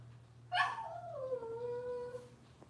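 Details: Indoors, a Cavalier King Charles Spaniel puppy from Robin's litter gives one thin whimper that starts high and slides down into a long, steady, wavering whine, quiet against a steady low hum.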